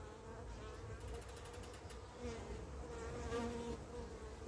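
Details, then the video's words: Carniolan honey bees as their queen returns home from an orientation flight, the queen hesitating; continuous low droning buzz with shifting, wavering pitches, some rising and falling over a few seconds. "Honey bee queen returning home; Apis Mellifera Carnica"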